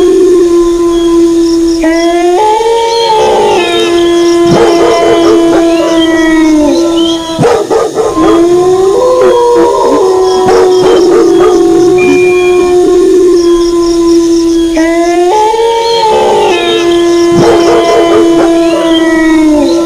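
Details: Wolf. Several wolf howls rise briefly, then hold a level, mournful tone for a few seconds before tailing off, with voices overlapping into a chorus. Short, harsh dog barks punctuate the howling again and again.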